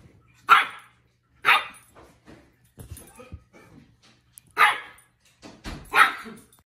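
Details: A playful Shih Tzu gives four short, sharp, high-pitched barks spaced irregularly over several seconds, with soft shuffling and small knocks between them.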